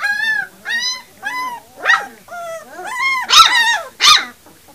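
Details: Three-week-old puppies whimpering and squealing indoors: a run of high, tonal, slightly wavering whines that rise then fall, about six cries in under five seconds, the last two sharper and noisier, with a person's coaxing voice nearby.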